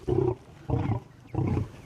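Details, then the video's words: Captive African lions squabbling over beef at feeding time, a large male taking the largest piece while lionesses fight back; three short rough growling bursts, each about a quarter second, spaced roughly every 0.6 seconds. "lionesses have to succumb to his supremacy and, despite fighting back, have to concede and settle for whichever piece Shredder doesn't want."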